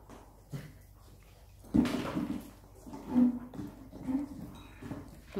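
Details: Siberian Husky pups Teddy and Blaze fighting over the same toy: rough, throaty growls in low-pitched bursts, the loudest near two seconds, then shorter rumbling growls about once a second, with thumps and scuffling between them.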